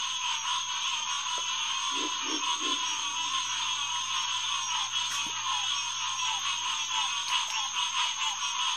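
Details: Many Hyla cinerea calling together after dark at Headquarters Pond, SMNWR, June 2, 2021, near 9:10pm. The overlapping chorus is continuous and shimmering, with three short, deep grunting notes around two to three seconds in.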